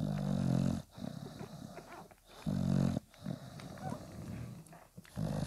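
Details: Newborn Bulldog litter at five days old beside mother Spikkels; two deep, coarse grunts open the stretch, then softer snuffles and murmurs, and a third grunt starts at the very end.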